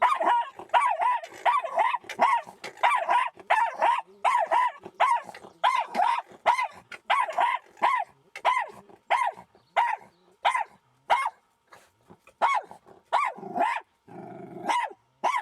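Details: Jack Russell Terrier barking while confronting a fox in an encounter that ended without injury; sharp, loud barks repeated in quick bursts about once a second, growing sparser and yelping toward the end.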